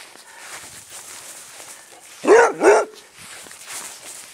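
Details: Male basset hound at play on a small lawn while being chased, giving two quick gruff barks in succession, with rustling footsteps in the background.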